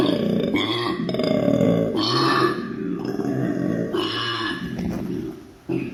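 A koala bellows in deep, rasping snore-and-belch grunts, a sound it makes when happy.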